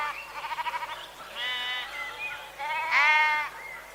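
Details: Sheep bleats, opening with a rapid tremulous stuttering baa, then two smoother sustained bleats, the last loudest and rising slightly.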